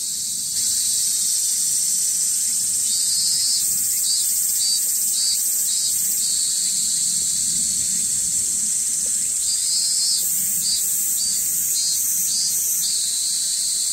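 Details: Cicada having trouble getting started, heard at a pilgrim shelter above a town on Shikoku, Japan: a steady high hiss with short pulsed bursts that stutter in groups of four to six, stop, then resume.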